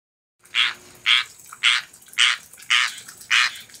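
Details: A tree frog in Florida sings, said to be calling for rain, giving harsh, raspy notes repeated about twice each second.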